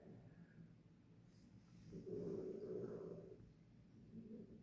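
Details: Sleeping in her bed, Harriet the dog lets out a single drawn-out, husky snore in the middle, surrounded by quiet, low breaths.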